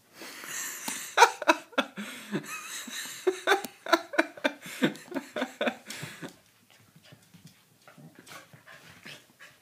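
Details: Doberman puppy and corgi, Dartanian and Vaida, playing rough together: a fast, irregular run of gruff, harsh growling and barking bursts, close and loud for about six seconds, then fading to softer scuffles and breaths.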